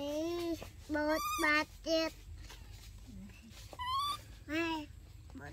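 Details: Baby monkeys Dorn and Dum in their daily life utter loud, piercing harmonic calls in quick succession, a few sharply upswept, with one soft low squeak midway and a low background rumble.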